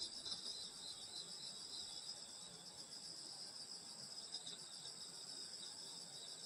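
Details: Grass insects in the countryside on a summer night, many trilling at once in a constant high-pitched drone with gentle pulsing, no birds or voices standing out.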